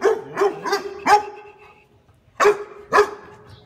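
A Miniature Pinscher barks in sharp, high, rapid bursts at a stranger.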